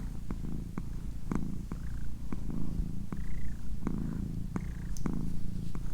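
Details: Domestic she-cat purring steadily, a deep vibrating hum with regular pulse texture, with sharp small clicks scattered throughout and faint soft whispered sounds in the background.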